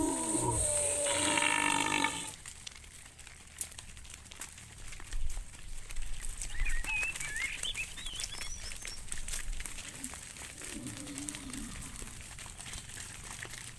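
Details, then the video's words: Cow roaming in the fields, calling to its friend: a loud, drawn-out moo with rich overtones fills the first two seconds, then fades to a quiet rural background with brief whistled bird chirps and a faint low call near the end. "Funny cow sounds Calling his friend, Cows roaming in the fields"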